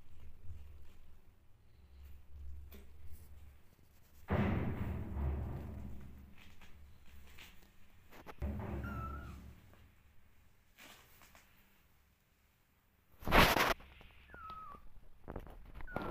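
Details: Hungry kittens looking for their mother and cuddling her give short, thin meows that fall in pitch, one near the middle and another toward the end, over low rumbling handling noise and a loud bump.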